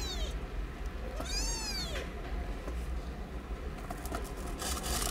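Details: One of nine young kittens of a street cat, sheltered in cat houses in a safe zone and learning to suck from their mom, gives two shrill arching mews, then rustling and soft noise follow.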